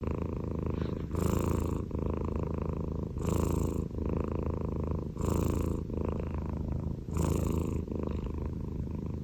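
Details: Scottish Fold cat snoring: a deep, rumbling, purr-like drone with a harsher breath surge roughly every two seconds, steady through the whole stretch.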